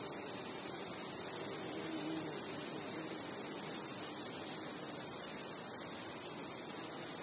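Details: Crickets chirping at night with other nocturnal insects under a starry sky: a dense, steady, high-pitched shimmering trill that holds without pause, plus a fainter hiss of insect noise beneath.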